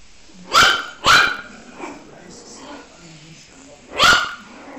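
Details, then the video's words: Puppies barking: three short, sharp yaps, two close together near the start and a third after a pause of about three seconds, with soft background noise between them. "Puppies Barking Compilation - Cute Dog Barking Videos"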